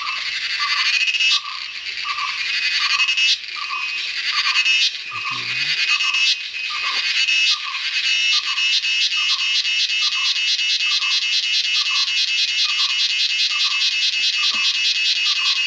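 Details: Cicadas in Western Ghats jungle in India during the monsoon produce a loud, continuous high-pitched buzz with a steady pulsing throb.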